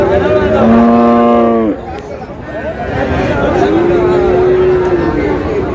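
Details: Friesian and cross-breed bull calves at the Raniganj cattle market in Dinajpur, 30 July: a loud, steady, harmonic moo lasting nearly two seconds and ending in a downward slide, then a quieter, lower drawn-out moo, with market chatter behind.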